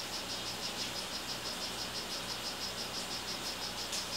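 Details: Male strawberry poison-dart frog, 'rio guarumo' morph, kept in captivity, gives a rapid, even train of brief high-pitched chirps, roughly three to four per second, with a low steady hum in the background.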